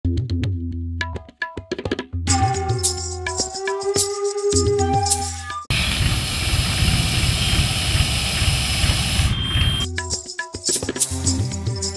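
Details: Percussive music plays, with tabla-like drums, rattles and plucked tones, broken midway by a loud burst of broad noise before the drumming returns.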